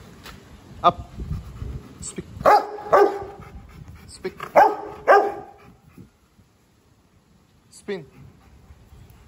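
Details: Working-line Rottweiler barking on the speak command during an obedience routine; a few short, deep barks in pairs between a handler's spoken commands of up, speak and spin, then praise.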